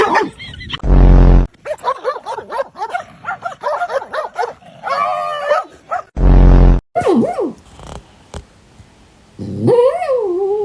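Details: A pet dog producing strange noises: warbling, yodel-like whines and grumbling growls that rise and fall, interrupted twice by a loud low buzzing burst, ending with a rising, bending moan.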